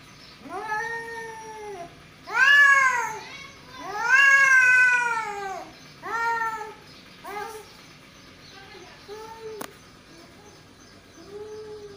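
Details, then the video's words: Two male cats caterwauling: loud, rising-and-falling wails that grow louder, then shorten into clipped cries that fade, with a brief click near the end. "Two Male Cat | Cat Voice"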